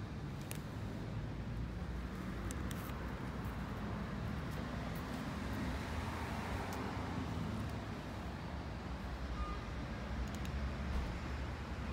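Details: Steady road traffic rumbles throughout, with no animal voices standing out. A few brief clicks and knocks sound over the low, continuous vehicle noise.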